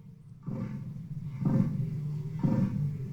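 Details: Northern elephant seal (Mirounga angustirostris), male display call: mediating male-male interactions, establishing place in dominance hierarchy.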